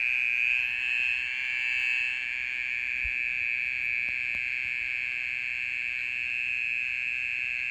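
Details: Night-time mole cricket call: a steady, rapid, buzzy trill that swells slightly in the first two seconds, then continues evenly, with a faint tap heard once.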